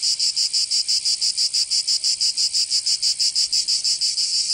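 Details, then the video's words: Summer cicada song from Provence in the south of France: an intense, shrill buzz broken into even, rapid pulses, about three per second, very regular and continuous. "Canto Cigarra 🦗 [ Escuchar les cigarras en verano 10 H]"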